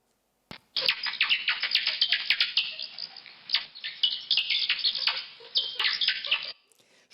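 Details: Pipistrelle bat ultrasonic calls converted to audible range, heard as a dense run of shrill, rapid clicking sweeps and chirps packed for about six seconds, then cut off abruptly.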